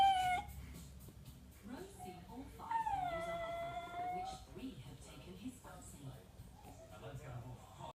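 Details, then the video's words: A miniature dachshund, howling and yawning, gives short, drawn-out howls that slide gently downward, with people talking nearby. "Mini dachshund Archie howling and yawning"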